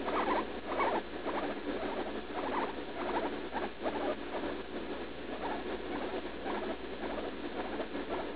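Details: Leslie, a roughly three-year-old female pet guinea pig, in pain while pooping just after eating leaf lettuce on June 16, with a suspected UTI. She gives rapid, uneven chains of short squeaky chirps, nearly two per second, almost without pause.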